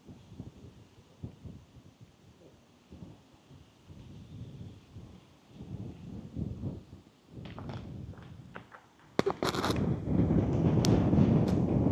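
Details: Soft footsteps and rustling, then louder broadband scraping and handling noise in the last few seconds; no animal voice stands out.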